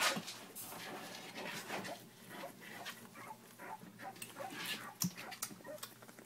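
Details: Three-week-old puppies from a litter of Jack and Puzzle give thin, high whimpers and squeaks, scattered among clicks and rustling bedding noise throughout.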